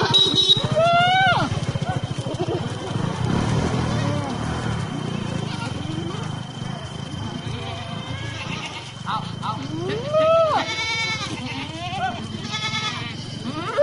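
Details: Sojat Sirohi goats, male and female, offered for sale at Pune, bleat in wavering, rising-then-falling cries over human voices and a low engine rumble.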